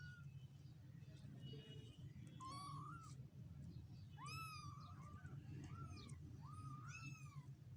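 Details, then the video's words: Mewing of one-week-old kittens: a run of clear, high, rising-then-falling meows, some drawn out and wavering, several in close succession, over a constant low background hum. "relaxing meow sound of 1 week kittens"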